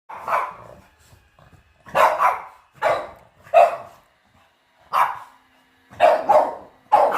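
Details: Dog barking on first seeing a robot vacuum indoors: a run of sharp, loud barks, some doubled, spaced roughly one second apart, with quiet gaps between bursts.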